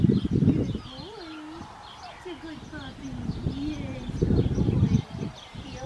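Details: Six-week-old black tri male Australian Shepherd puppy from a licensed Oklahoma breeding farm gives a few drawn-out, wavering low whines, each rising and falling over about half a second, between bursts of human voices outdoors.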